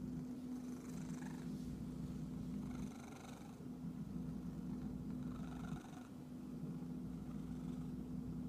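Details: Itchy house cat purring steadily in a deep, throbbing drone, interrupted by several short bouts of scratchy, rasping rustles, all over a persistent background hum.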